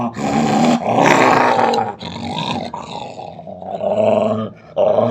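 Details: Belgian Malinois female in an angry, unprovoked display: harsh, snarling growls rising and falling in loudness, with gruff, broken bursts and a brief quieter gap before a final loud growl.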